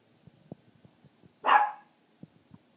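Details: A puppy keeps barking after being told to be quiet, giving one loud, harsh bark with soft tapping sounds around it indoors.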